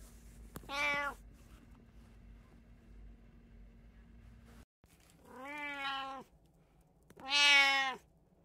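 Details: House cat from an indoor household of three cats (brown tabby, Munchkin, Abyssinian), recorded 15 April 2024; three drawn-out, harmonically rich meows, the last loudest, separated by quiet pauses with a faint steady room hum.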